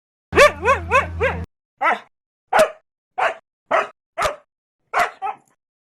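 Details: Dog barking, described as aggressive: a quick run of four harmonic barks with wavering pitch, then six single sharp barks spaced roughly half a second to a second apart, clean background.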